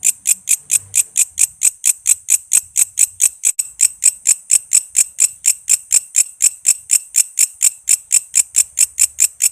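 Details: Walang kece katydid song used as a master sound for songbirds such as shama and lovebird: steady series of bright, high, dry clicks about twice a second, with soft low rumbles in the background.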